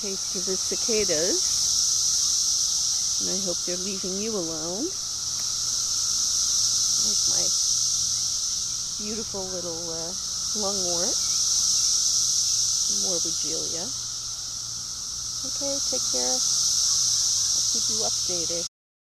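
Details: Massed cicadas in an invasion, a shrill high drone rising and falling in slow waves about every five seconds, while people talk intermittently over the chorus.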